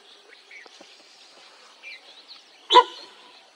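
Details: At a tiger sighting in Corbett National Park, a sambar deer gives one loud, abrupt honking bark of alarm over faint bird chirps.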